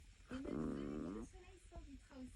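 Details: A small female Chihuahua snores in her sleep with one long, buzzy, rattling breath followed by softer nasal wheezes.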